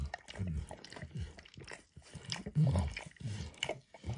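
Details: A dog named Max licking an orange textured mat for food; short uneven slurps and smacks, some louder and wetter than others, recorded very close in a quiet indoor setting.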